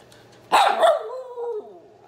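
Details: Hungry male miniature red poodle at home, barking and whining to demand his dinner: one sharp bark, then a drawn-out whine that slides downward in pitch for about a second.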